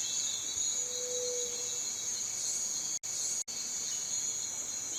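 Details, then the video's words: High, hissing cicada buzz running steadily with a soft low whistled note early on. The sound cuts out abruptly twice, for a split second each time. "Som de cigarra - Barulho da Cigarra"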